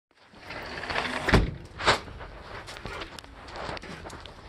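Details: Bumps, a door-like knock and rustling movement with a soft background rush; no animal voice is heard.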